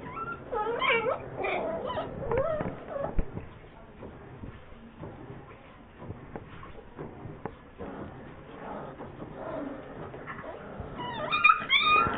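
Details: Bull Terrier puppies in Bogotá in July 2013 whimper and squeal in high, wavering, repeated cries.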